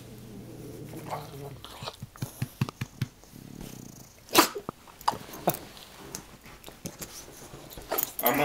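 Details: English bulldog named Wilbur playing on a bed indoors, giving short growly grunts and snuffling bursts in quick irregular succession, with a person talking to him throughout.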